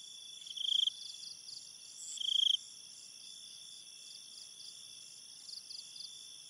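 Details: Crickets at night in a forest: two loud, short pulsed chirps in the first seconds, with steady high-pitched trilling from many more crickets running beneath throughout and a few faint chirps near the end.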